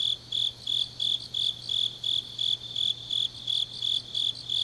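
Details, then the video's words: Grass insects on a deep autumn night in Changnyeong, Gyeongnam, South Korea: high, bright chirps pulsing about three times a second in a steady rhythm, with a faint low hum underneath. "깊은밤 가을 풀벌레 소리"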